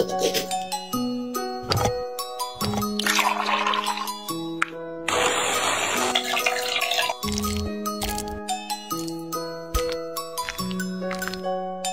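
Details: Melodic music of sustained tones with a rushing, water-like flush in the middle, and no animal sound.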